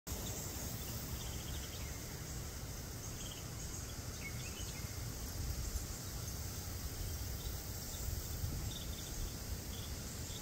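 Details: Black cicada giving a continuous shrill buzz, a steady high drone that never pauses, with a few faint bird chirps scattered in the background over low outdoor noise.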